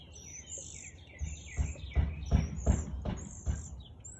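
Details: Siberian Husky at 4:17 pm on 13 March 2021 letting out a run of about six short, deep barks roughly every half second, over steady high chirps and whistles from birds.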